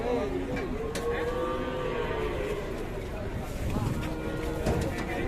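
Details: An enraged, raging cow from a compilation of fierce but funny cattle gives a long, low, tonal moo. It lasts about two seconds with a slight rise and fall, and is followed by muffled background noise and faint voices.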